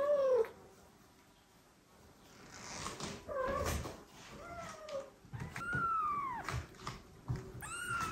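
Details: Domestic mother cat, reunited with the father cat after living apart, meowing to him while carrying a kitten to him; several short arched meows, some high and brief, one longer falling call near the middle, with soft indoor rustling between.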